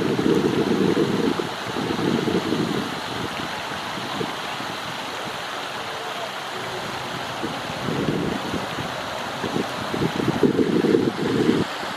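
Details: Steady splashing and running water with broadband noise, in bursts; no clear animal calls stand out.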